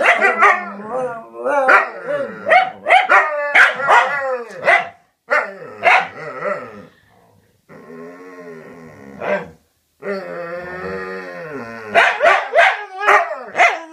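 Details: Dogs talking to each other: rapid strings of sharp yelping barks and whines, pausing for a long steady howl-like tone, then more quick barks.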